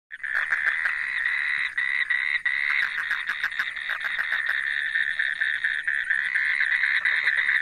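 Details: Indian toads calling at a mating pond in the Western Ghats during the monsoon breeding season: a dense, continuous chorus of overlapping buzzy trills, steady and unbroken, with many males calling at once.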